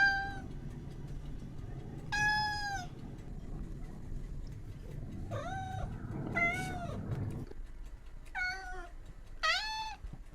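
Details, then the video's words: Cats and kittens meowing, about six separate mews spread over ten seconds, some rising then falling, some short and sharp, over a low rumbling background hum that stops partway through. "Sound of Cats. Sound of Kittens"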